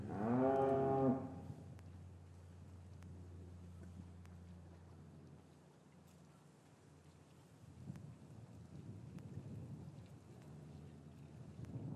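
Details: A single deep moo, about one second long, from a cow in an English farm yard on a winter afternoon after the calves were taken from their mothers. A low hum and faint yard noise follow.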